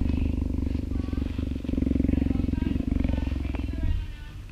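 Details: About three-year-old captive female cheetah purring as a volunteer strokes her in an open yard during enrichment time, summer after rain; a continuous low vibrating rumble runs under a man's voice, fading out in the last half second.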